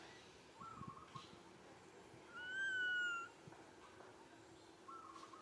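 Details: A sad baby monkey gives a clear, drawn-out tonal cry, calling for its mother to come and care for it and asking for milk.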